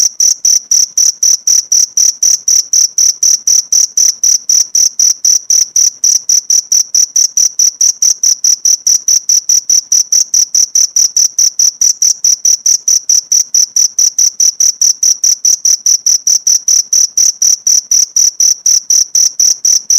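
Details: Cricket chirping, recorded as tutor material for training pleci (white-eye) songbirds: sharp, very high-pitched pulses repeated steadily about five times per second throughout, with no other sounds.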